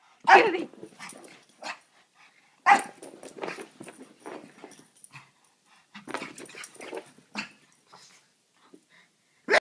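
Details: A small male Pekingese gives sharp, broad barks in bursts, with quieter yips and growly noises between them, running around crazily at home after a walk.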